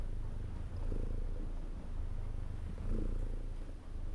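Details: Low, rough purring from a cat, an unbroken rumbling drone rising and easing with slow breaths, no other sounds.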